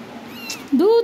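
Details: Cat giving a single short, loud meow that rises then levels off, following soft background speech.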